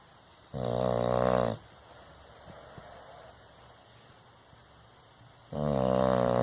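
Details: Bulldog asleep, giving loud rasping snores, one just after the start and another near the end, each about a second long with rich layered tones, quiet breathing between them.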